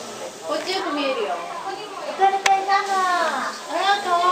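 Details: A young male white-handed gibbon (Hylobates lar), aged 1 year 18 days, at a zoo on 29 July 2017, gives a run of rising-and-falling, hooting whoops with a voice-like tone.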